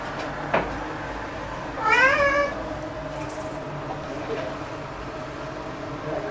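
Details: Black pet cat Momo, worked up indoors after spotting a bug, gives one clear harmonic meow lasting about half a second that bends upward then levels off, amid a quiet room hum, a faint tap and a thin high tone.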